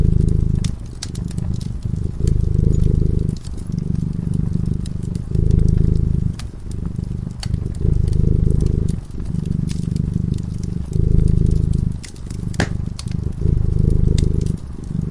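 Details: Cat dozing by a crackling fireplace, purring continuously: low throaty rumbling in rhythmic breath cycles of about one and a half to two seconds, short gaps between, and frequent snapping, popping fire crackles in the background.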